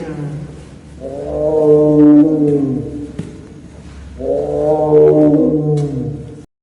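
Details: Captive young male Amur tiger, three years old, at Maruyama Zoo in Japan, vocalizing while playing in winter snow: two long, steady, deep moaning calls of about two seconds each, separated by a short pause.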